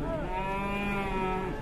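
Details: Moo from a cow whose belly is full of flies, a case that alarmed villagers in Indonesia: one sustained, level, richly harmonic bellow filling the whole moment, with faint noise beneath.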